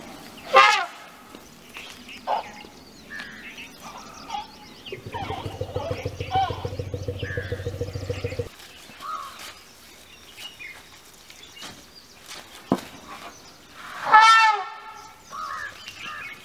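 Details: Rescued elephants Lilly, Erika and Ella at an Elephant Rehabilitation Center: loud, harmonic, shrill calls sweep up and down near the start and again near the end, with a steady mechanical buzz midway and scattered voices.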